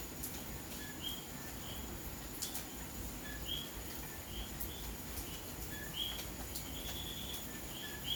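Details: Common coquí frogs calling on a rainy May night in Santurce, San Juan, Puerto Rico; short two-part chirps stepping up in pitch repeat irregularly from several callers over a steady hiss of rain with scattered drip clicks.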